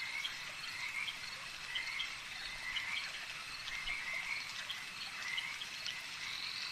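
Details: Many frogs croak together at a lake, their trilled calls forming an unbroken shimmering wall of sound. Brief higher chirps and faint clicks are woven throughout.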